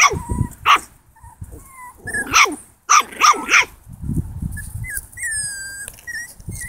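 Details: A 7-week-old Italian Greyhound puppy facing a pig gives sharp, high-pitched yapping barks in quick, uneven bursts.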